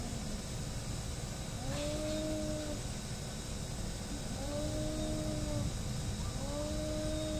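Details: Domestic cats fighting, locked in mutual hostility: three long, steady, moaning yowls of about a second each, spaced a couple of seconds apart, over a constant low background hum.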